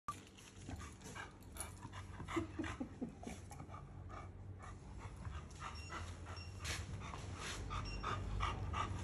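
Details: Chow Chow dog panting; rapid rhythmic breathy huffs, about three per second, continuing throughout against a low background hum.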